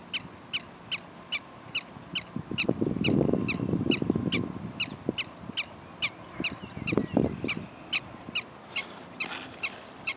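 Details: A prairie dog repeats a sharp, clipped chirping bark roughly twice or more each second, evenly paced, while low muffled rumbles and thumps come and go underneath.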